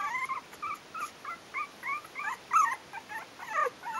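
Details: Four-week-old Yorkshire terrier puppies from Bijou's litter "A" at the Stellar Garden kennel, whining in high, wavering squeals that bend up and down. The squeals come in quick bursts roughly every half second, several pups overlapping.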